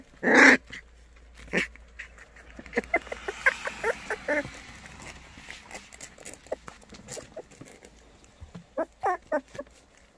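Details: White Baekgu puppies from Cheongdo County, offered for adoption: a sharp, high yelp opens, then scattered short squeaky whimpers follow through the middle, and a small cluster of thin rising squeals comes near the end.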